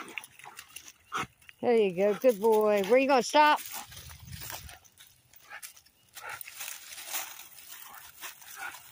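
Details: Toby, a Labrador Retriever, trying to swim: a run of high, whiny cries that rise and fall, several in quick succession over about two seconds, with a person's voice before them and water splashing afterwards.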